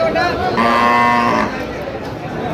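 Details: Cow at Ambari cattle market in Dinajpur, 17 October 2025, among cows sold with calves: one drawn-out, harmonic moo of just under a second, steady in pitch, over the murmur of traders' voices and crowd noise.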